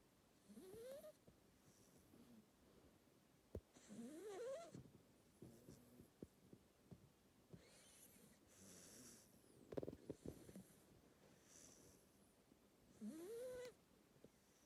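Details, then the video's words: Two-month-old Labrador Retriever puppy snoring while asleep: soft, breathy, noisy snores in irregular bursts, broken by short rising squeaky whimpers near the first, fourth and thirteenth seconds, in an otherwise quiet room. "Two Months Cute Puppy Snoring"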